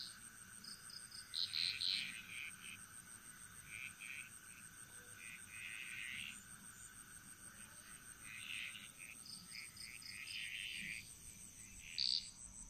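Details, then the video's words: Frogs singing in chorus in the Bali jungle, Indonesia: scattered bursts of rattling, mid-high croaks come and go over several seconds, fairly soft, above a steady high-pitched insect drone. "Frog Mantras - Relaxing Sounds Of Bali"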